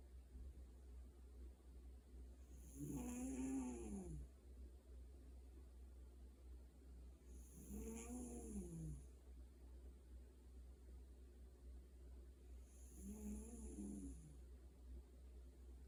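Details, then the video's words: A house cat asleep and snoring, giving three rough, wheezy snores spaced about five seconds apart, each rising and falling over a second or two, over a constant low background drone. "고양이 코골이"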